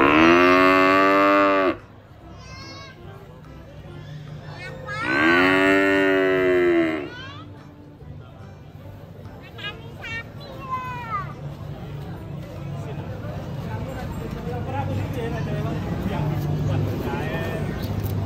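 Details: Cute cow being fed by a small child: two loud, drawn-out harmonic moos, each about two seconds long and several seconds apart, followed by people talking and background chatter.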